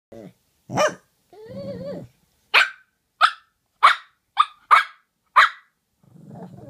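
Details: Two dogs, Murph and Maverick, exchanging barks back and forth: a run of sharp, evenly loud barks near the middle, with lower drawn-out growling or grumbling vocalizations before and after.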